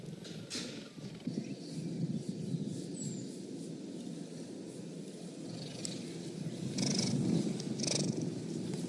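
A cheetah purring, a low, steady rumble that pulses about twice a second.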